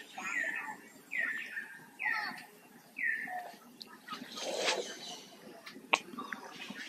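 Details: Hurt baby monkey held by a forced buddy and trying to pull away, giving four short, falling, squealing cries about one second apart, followed by rustling and a sharp clatter.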